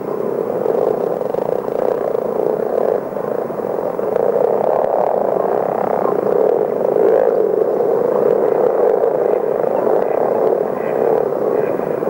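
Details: Chorus of many common frogs singing together, a steady deep purring drone like a faraway engine, unbroken for twelve seconds with small swells in loudness and no other clear sounds.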